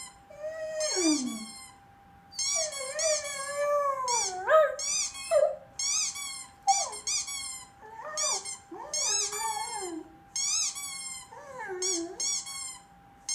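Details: Pet dog reacting with distress to squeaky noises, freaking out: a run of high, wavering whines and yelping howls that rise and fall, repeated in bursts every second or two over about thirteen seconds, with a steady faint tone behind.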